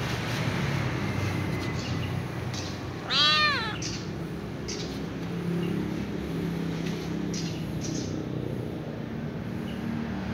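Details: A ginger kitten rolls about on a glass shelf and lets out one clear, rising-then-falling meow lasting under a second, rich in harmonics, against constant low hiss and scattered faint clicks.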